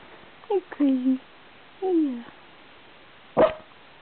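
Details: Muffy, a pet puppy perched on top of a couch in a home office, barking at passing cars; several whiny, downward-sliding yips come first, then one short sharp bark near the end, recorded indoors.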